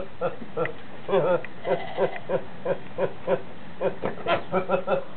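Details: Horney, a goat said to go around laughing and sneezing all day, gives short nasal, harmonic bursts in a steady stutter, about a dozen in five seconds, some doubled, with faint voices behind.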